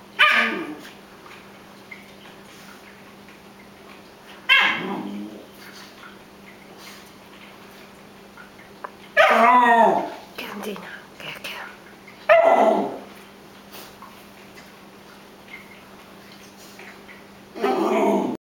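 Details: Young dog howling: five drawn-out, wavering cries at irregular intervals, each sliding in pitch with rich harmonics, separated by quiet gaps over a steady low hum.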